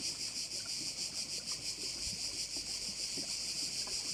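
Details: Crickets calling by a Korčula bay in Croatia: a clean, continuous high buzz from many insects, rhythmically pulsing about three times per second, with only faint low background noise and a single soft thump.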